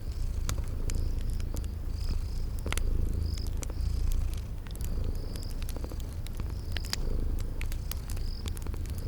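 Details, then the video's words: Sleeping kitties purring beside a crackling fireplace in a spring garden setting: a steady low rumbling purr swelling and easing in waves, with sharp fire crackles and high insect chirps repeating throughout. "Relax with Cute Sleeping Purring Kitties by a Crackling Fireplace"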